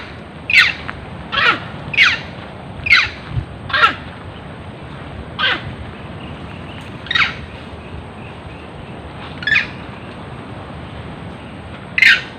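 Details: Screams of a monkey pursued by farmers: a quick run of five harsh, squawky, descending cries, then scattered single cries with longer gaps, against steady low background noise.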